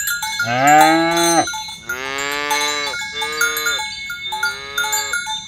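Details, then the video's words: Cows on a village road in the morning, herded to the pen, calling others to gather: four moos in quick succession, the first loudest, with cowbells jingling in the background. "Suara sapi lembu berkeliaran di ladang rumput hijau memanggil kawan untuk berkumpul - Bunyi sapi"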